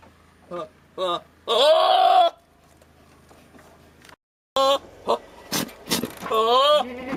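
A billy goat lets out strained, quavering bleats, some long and wobbling, others short and clipped, between quiet gaps. The odd, almost human-sounding yells are aimed at a nanny goat.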